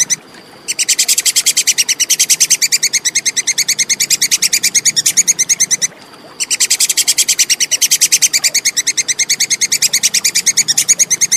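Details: Plantain squirrel chattering in a clear recording used to train songbirds. A lone click opens, then two long bursts of quick, bright, evenly spaced ticking follow, split by a brief pause near six seconds. A faint hum runs underneath.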